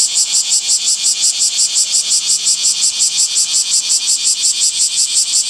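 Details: Cicada in summer trees giving a rhythmic pulsing buzz, loud high-pitched throbs repeating steadily almost three times a second, very regular.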